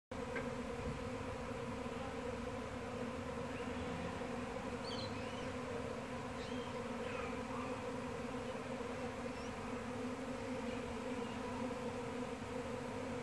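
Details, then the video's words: Honey bee swarm in Brunswick, Victoria, on 28 October 2017: a dense, continuous droning hum of many bees with steady layered tones, unbroken throughout, with a few faint chirps of birds in the background. "Bee Swarm"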